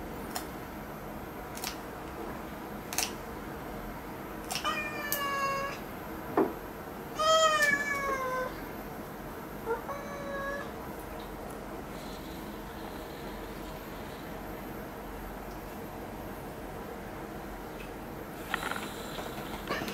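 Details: Cat having its claws clipped indoors, letting out a handful of short, scattered meows, some rising and falling, amid long quiet stretches and occasional sharp clicks.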